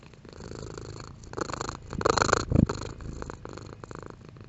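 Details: Domestic cat purring, its intensity varying: a soft rumbling purr that swells into louder, breathier pulses around the middle, then eases back to a quieter steady rumble.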